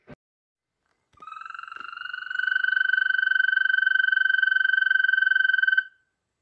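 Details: European green toad in Poland, a species whose males are very loud: one long, high, rapid pulsing trill lasting nearly five seconds, starting softer and swelling to full strength, steady in pitch, otherwise quiet.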